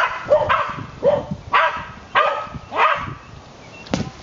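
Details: Ginger, a 5-year-old white terrier, swimming after a ball thrown in the water; five sharp barks roughly every half second, then a pause and a final bark, over faint splashing.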